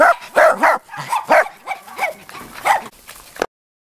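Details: Cairn Terrier puppies at a breeding kennel in Escaudes, yelping and whimpering in quick, high bursts about every half second, with some notes bending up and down, before falling silent near the end.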